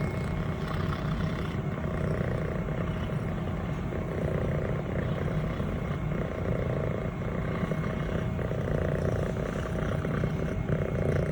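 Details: Steady low purring from Elle, a 25-week-old female fluffy Scottish Fold kitten in brown tabby and white, as she is stroked by her owner and shifts her posture. The rumble is unbroken and uniform, with a faint high hum in the background.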